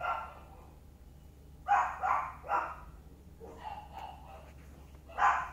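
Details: Chihuahuas of a family group, Sunshine playing with its parents Muffin and Candy, give short high yapping barks in scattered bursts, a few quick yips then a pause, with a steady low hum underneath.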